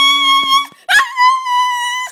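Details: A pet dog that loves to sing with its owner gives a long, steady, high howl, joining in after the owner's sung line.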